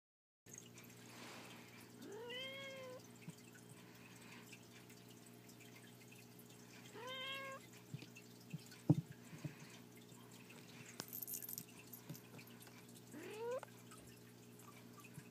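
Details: Four-week-old domestic kittens playing indoors, romping together energetically; three rising-falling harmonic meows near 2.5, 7.5 and 13.5 seconds over a steady low hum, with a sharp click or tap around 9 seconds.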